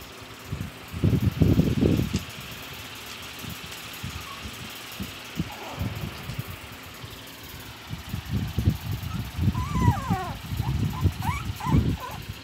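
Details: Three-week-old Shih Tzu puppies give thin, high squeaks that slide up and down, amid heavy thumping and rustling.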